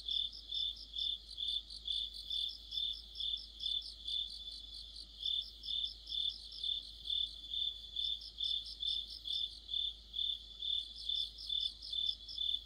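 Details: An autumn night chorus of crickets and companion insects: even, high-pitched chirps pulse steadily throughout, joined by short spells of a faster, sizzling trill on top.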